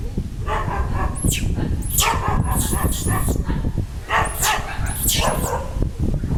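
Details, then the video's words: Young pig-tailed macaque crying loudly after losing its mother: shrill, arching high-pitched screams in bursts of two or three, with low rumbling background noise between cries. "This Little Cute Monkey Crying Loudly Cos Lost Mom"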